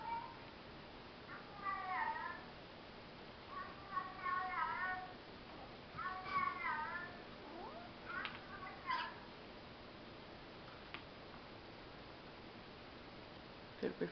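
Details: Pet cat Church indoors, called down by a played recording of another cat, Tiggy: a series of clear wavering meows about every second or two, then quieter calls and a soft human voice near the end.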